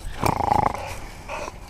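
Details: Boxer dog playing with and biting at a battered model F-16 jet, giving one short throaty growl of about half a second, then a fainter low murmur.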